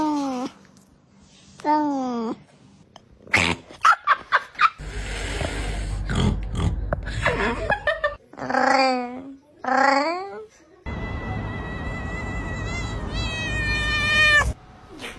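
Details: Pet cats making funny vocalizations: several drawn-out, wavering meows with rising and falling pitch come in bursts, mixed with clattering thumps, a low hum and background noise.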